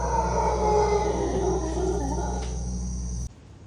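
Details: A male howler monkey in Costa Rica's rainforest gives a deep, rough, guttural, sustained roar, a territorial show of power and dominance, audible over three miles away.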